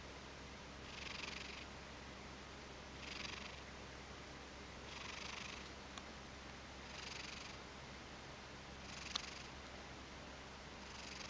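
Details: Ragdoll cat dozing on its back, half asleep, making soft airy rasps, snore or purr, that swell and fade roughly every two seconds, with a faint electrical hum behind.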